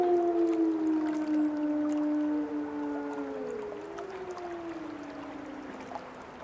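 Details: Several wolves howling together, their long sliding tones overlapping and gradually falling in pitch, one voice held level for a while as the chorus slowly fades.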